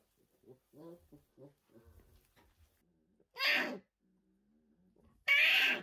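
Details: Orphaned brown bear cubs, new-born and fragile, rescued in 2023 after their mothers were lost to human conflict, logging or hunting: soft stuttering grunts, then two loud, harsh, broad bawling cries about two seconds apart.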